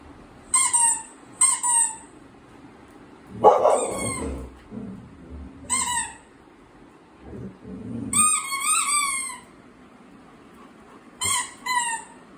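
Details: A pet Labrador Retriever watching TV gives short, high, squeaky whines with bright stacked overtones, in scattered bursts of under a second, some bending upward, over a faint low indoor murmur.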